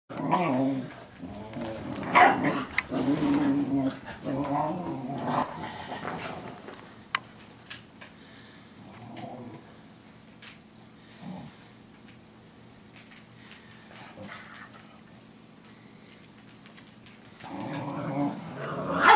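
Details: Two dogs, Cooper and Sophie, indoors on 12 June 2014, Sophie teaching Cooper to be a guard dog; harmonic growling and short barks in the first seconds, a long quiet stretch, then another growling burst at the end.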